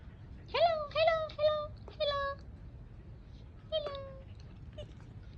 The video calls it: My dog is making noises to tell its owner that it is hungry.😋